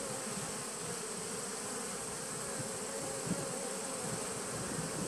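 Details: Constant low droning of bees inside a 2017 nuc, taped 19 September 2018, layered hum bands steady for the whole stretch under a faint high-pitched whine, with no other sounds standing out.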